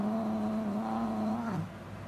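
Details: Domestic cat letting out one long, low, moaning yowl lasting about one and a half seconds, dropping in pitch at the end, with indoor background noise.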